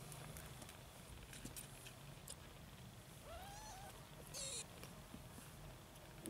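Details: Kittens fighting over their mother's milk while nursing; a low steady purr hums throughout, with one short arched kitten mew partway through and faint scattered rustling.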